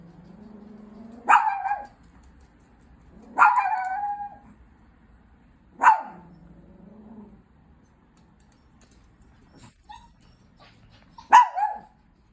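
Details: A Chihuahua threatening the person next to it alternates low growls with sharp barks, four barks spread evenly across the stretch, each tailing off into a short snarl.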